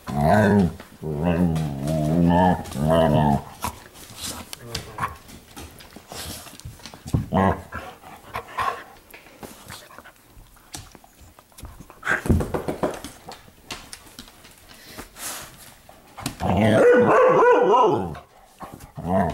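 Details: Household pups at evening playtime indoors in a living room: a long rumbling, rolling play growl at the start, scattered thumps and movement, then another throaty growling bout near the end.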